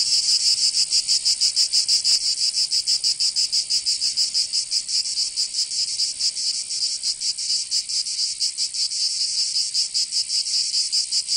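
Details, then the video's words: In the south of France, Provence, cicadas sing in summer with a piercing high buzz that throbs in quick pulses, loudest early then slightly softer and less even, no other sounds present. "Canto Cigarra 🦗 [ Escuchar les cigarras en verano 10 H]"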